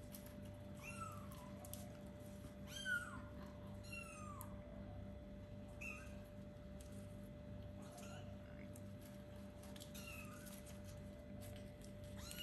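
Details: Kittens about four weeks old, playing and beginning to explore, utter short high downward-sliding mews every second or two, with soft knocks and a steady low hum beneath.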